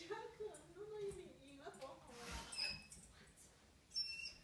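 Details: Claudia, a White German Shepherd, waits impatiently at the door, giving a wavering, tonal whine that rises and falls over the first two seconds, followed by quieter scuffs and faint clicks indoors.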